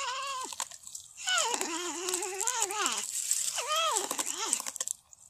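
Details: Porcupine making long, nasal, wavering whines that rise and fall in pitch, one sustained cry followed by shorter squealing notes, with faint background hiss.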